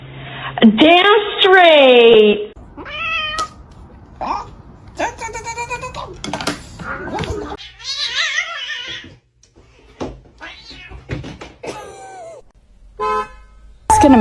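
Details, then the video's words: Domestic cat meowing indoors among short edited scenes: a loud, drawn-out wavering meow that rises and falls, then several shorter meows, with people talking and laughing between them. "kitten meowing crying"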